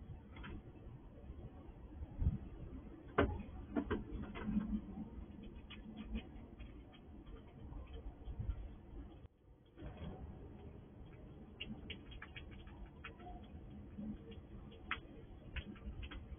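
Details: Wild squirrel visiting a house, searching for food in a sliding drawer: soft, scattered gnawing clicks and light rustling over a low background hum, with a brief quiet gap midway.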